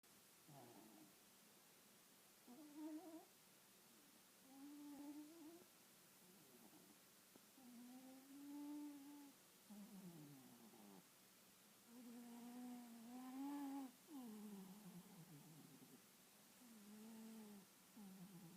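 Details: Two pet cats, Lynx and Apollo, cuddling together while asleep, snoring with low humming, nasal tones that bend up and down, one breath roughly every two to three seconds, indoors and quiet.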